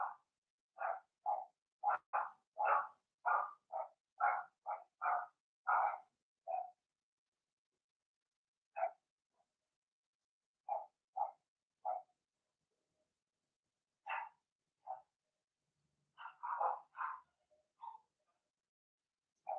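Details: Puppy pen holding a litter of six Blenheim Cavalier King Charles Spaniels, two females and four males, born in March. A rapid burst of about a dozen yapping barks gives way to sparser single yips after a pause.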